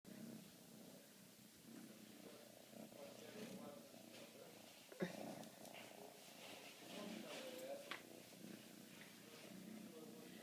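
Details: Siberian kitten, 15 weeks old, purring while held and cuddled indoors; a steady low rumbling hum runs throughout, with soft spoken Polish words, rustling and a sharp knock near the middle.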